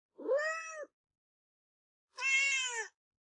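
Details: Domestic kitten giving two separate meows about two seconds apart, the first a smooth arching cry, the second longer, brighter and more strained; otherwise silent.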